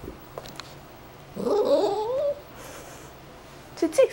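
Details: A male Yorkshire terrier playing with a mini polar bear plushie in July 2012 gives a drawn-out, wavering whine that rises in pitch, then a brief squeak, as he wants his toy back.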